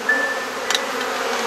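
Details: Honey bees humming at an open hive during an inspection with frame swapping in a garden in Perth, Australia; a steady low drone with a faint short whistle near the start.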